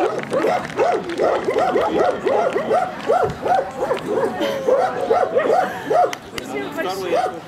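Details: Central Asian Shepherd Dogs barking at a club show in Krasylivka near Kyiv on 28 September 2019, during ring comparison; a steady run of quick arched barks, roughly two or three per second, over crowd talk.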